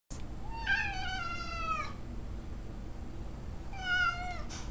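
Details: Domestic cat, used to dogs since kittenhood, meeting a dog it has known less than a day: two drawn-out harmonic meows, the first long and slowly falling, the second shorter, in a quiet indoor room.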